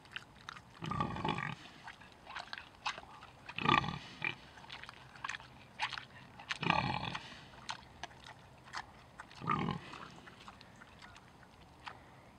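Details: Tamworth pigs foraging and eating at Knepp Wildland, giving low, broad grunts in short bursts roughly every three seconds, with crunching and chewing noises between them.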